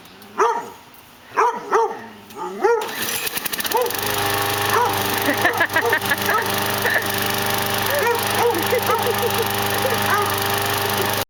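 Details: Pet dog, female, barking at a lawn mower she hates, even before it runs; sharp, yelping barks come in quick bursts, then the mower engine roars into a loud steady drone while her barking continues over it.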